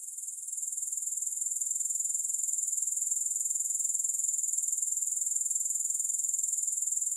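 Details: Grasshoppers make an unbroken, thin, high buzzing drone of fast regular pulses. It grows slightly louder over the first second and then holds steady throughout. There is no background noise.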